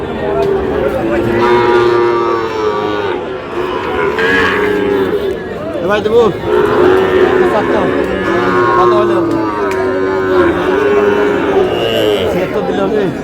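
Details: At a Bangladesh cattle market, a Cox's Bazar farmer bargains for a Sahiwal bull calf as cattle moo repeatedly in long, wavering bellows, some overlapping, against bidding voices and shouting.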